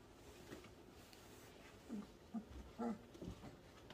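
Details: German Shorthaired Pointer puppies, 3 weeks old, give soft, brief whimpers and little grunting squeaks as they learn to interact with each other.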